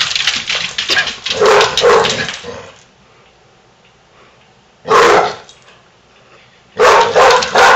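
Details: Basset Hound Daisy playing with foster sister Big Molly indoors; a long run of loud, rough barks and growls, then silence, then two short sharp barking bursts, with a faint low hum in the background.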